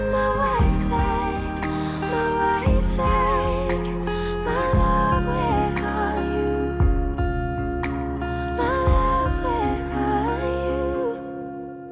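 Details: Gentle, tender music with a soft melodic vocal line and a repeating low bass pulse, fading near the end.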